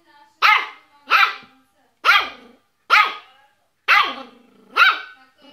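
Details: Yorkshire Terrier giving six shrill, bright barks at roughly one-second intervals. Each bark falls off quickly, and a short whiny tail follows some of them.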